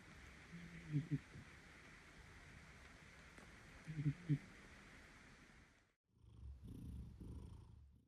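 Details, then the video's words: Domestic cat napping indoors after a long day, snoring softly: low rumbling breaths with two clear snore bursts about three seconds apart, followed by a brief louder rustle near the end. "Cat baker is snoring after a long day of kneading"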